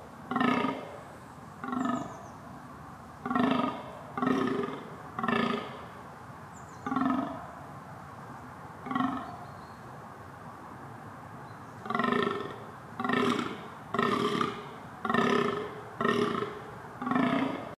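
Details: Deer calling: short, hoarse, groaning bellows repeated roughly every one to two seconds, coming in bursts with a pause midway, over a steady background hiss.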